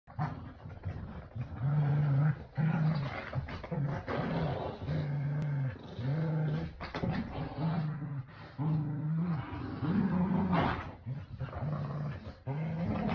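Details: Kumo the Keeshond and Sully the Boston Terrier growling while playing tug with a new starfish toy; low, steady rumbling growls in bursts of about a second, repeated almost continuously with short breaks.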